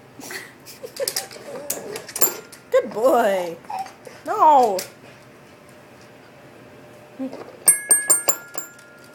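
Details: Dapper Dan, a dapple Dachshund, sings at the piano indoors: two loud wavering arched howls a second or so apart, followed by quick chiming piano notes, with human chatter before them.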